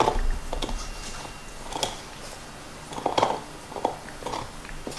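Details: Black Lab Nixon gnawing a beef bone: sporadic crunches and clicks with quieter pauses between, a low rumble underneath, in a small indoor space.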